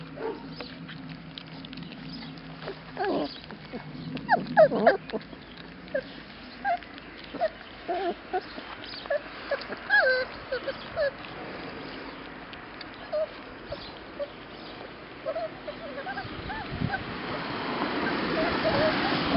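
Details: Young labrador retriever pups eating their first solid food from bowls at Yochiver, giving short high whimpers and squeaks scattered among smacking, licking and clattering, with a rising rustle near the end.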